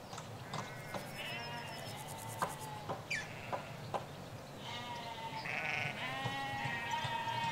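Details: Hampshire field sheep, ewes and lambs, calling with wavering bleats that swell toward the end, accompanied by short bird chirps and faint road noise.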